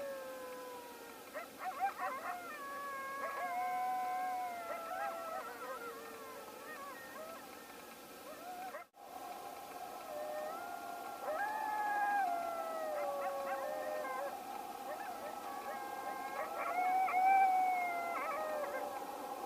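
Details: Coyotes interacting around a bison carcass: layered wavering howls and yips, a brief break, then sustained overlapping howls that swell and bend in pitch.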